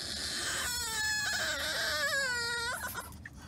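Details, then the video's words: French Bulldog puppy whining during a car ride it did not enjoy. One drawn-out, high, tonal whine wavers and then slides downward before breaking off, over a constant low road rumble. "French Bulldog Puppy Whines During Car Ride"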